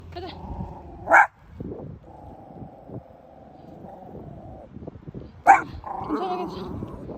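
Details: Bichon Frise barking on the street on meeting someone: two sharp, short barks a few seconds apart over a steady background hum, with low rustling and other faint noises between them.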